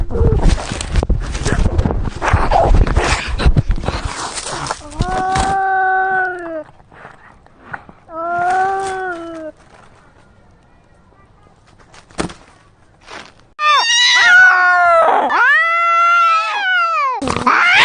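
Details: Cats fighting, filmed up close: scuffling noise, then long wavering yowls with harmonic tones, a sharp thump, and a loud rising-and-falling caterwaul near the end.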